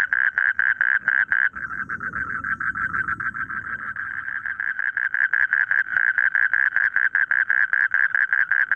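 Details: Rapid pulsed croaking of frogs in a rice field, many short notes per second running almost continuously, with a brief low rumbling noise in the background near the start.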